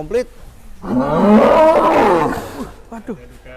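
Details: Giant cattle raging while being fed and weighed: one loud, drawn-out harmonic bellow of nearly two seconds that swells, bends upward, then falls away, with short human voices just before and after.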